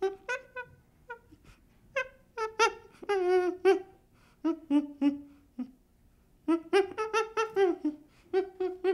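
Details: Baby chimpanzee calling in short, tonal, harmonic hoots and whimpers, mostly brief repeated notes with a longer wavering cry near the middle, in irregular bursts separated by quiet pauses.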